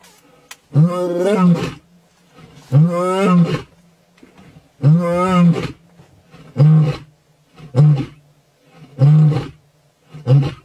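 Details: A male lion in Kenya's Maasai Mara roars: deep, drawn-out moans followed by a run of shorter, clipped grunts.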